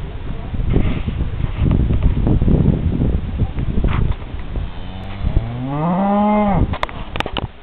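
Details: Cows in Missouri: rumbling, noisy background for several seconds, then one long, low, rising then steady moo lasting about two seconds, ending abruptly, followed by a few sharp clicks.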